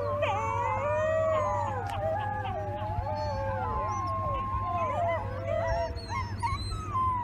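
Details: Chorus of gray wolf pups: several long howls held level and bending up and down, crossing one another, with short yelping slides mixed in over a steady low hum.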